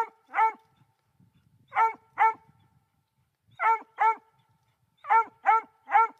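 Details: Young female Black and Tan Coonhound, three months old, treeing a raccoon: loud, clipped barks in pairs and triplets every second or so, with a man's quiet voice underneath.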